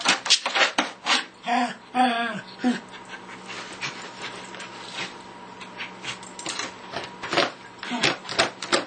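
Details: A music-loving Lakeland Terrier at the bongos gives harmonic yelps amid drum hits early on, including a falling whine, followed by a long run of uneven, fast bongo beats.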